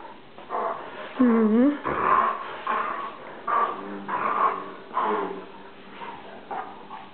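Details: Dobermann dog wearing deer antlers, indoors, making a run of whiny, grumbling vocalizations: a wavering nasal whine followed by several moaning, growly bursts roughly every second, in a small room.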